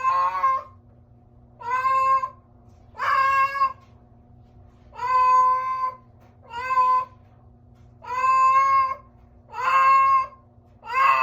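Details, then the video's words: A house cat's strange, repeated meowing: about eight loud, harmonically rich meows of half a second to a second each, coming every one to two seconds with a low electrical hum beneath. "STRANGE CAT SOUND"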